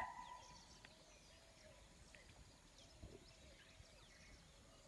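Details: A chital (spotted deer) gives one sharp, shrill alarm bark on sensing a predator, then quiet forest hiss, on a morning safari at Pandharpauni, Tadoba Andhari Tiger Reserve, 9 November 2017.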